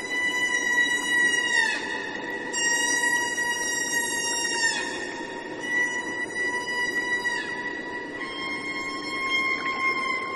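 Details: Killer whale vocalizing in long sustained tonal calls rich in harmonics, held steady for a second or more, each ending with a sharp downward pitch bend, repeated in sequence over faint background hiss.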